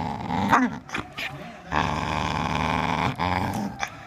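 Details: Playful growling from a Bull Terrier teasing to play with a handle rope ball: a brief snarl, then one long sustained throaty growl lasting over a second, ending in short huffs and rustling.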